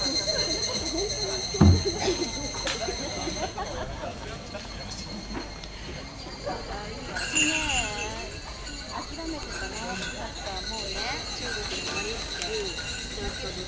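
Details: Steady high insect trilling drones through a July evening in Japan, with passing mountain hikers talking in Japanese.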